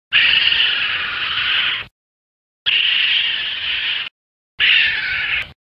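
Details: A raccoon gives three harsh, raspy, hissing screeches, each a second or two long with short gaps.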